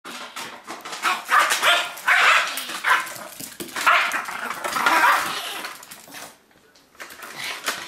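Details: Yorkshire Terrier playing and attacking a cup, giving rough, scratchy barks and growly yaps in uneven bursts, with a quieter pause near the end.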